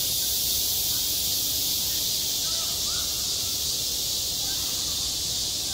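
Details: Summer cicada chorus at a school playground, a steady, loud buzzing hiss that never pauses, with faint scattered bird chirps beneath it.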